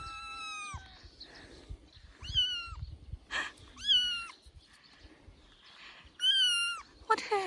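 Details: A three-week-old kitten playing on its dad's shoulder meows loudly again and again, about five bright, harmonic cries, some short, some drawn out, with soft rustling between them.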